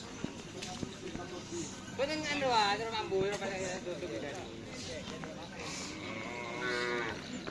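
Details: Madura cattle at karapan sapi bull race training on the Asemanis field: a drawn-out moo with rich harmonics that swells and bends around two seconds in, then a fainter, steadier moo near the end, over crowd chatter.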